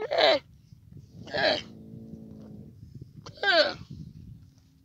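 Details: Baby camel giving three short, loud, falling cries about a second apart, each harmonic-rich and bleating, with a steady low hum between the second and third.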